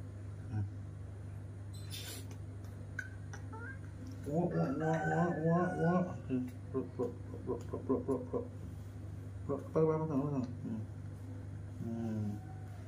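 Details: Baby monkey adopted from an animal market throws a tantrum on seeing milk being made in the kitchen: a burst of rapid, wavering, screechy cries, quickly repeated, over a steady low electrical hum.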